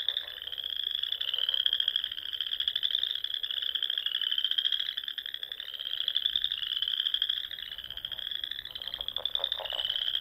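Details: Many frogs singing together at dusk in spring among small lakes of the Nebraska Sandhills, a constant high-pitched trilling wall of sound rising and falling gently, joined late by short lower rattling croaks.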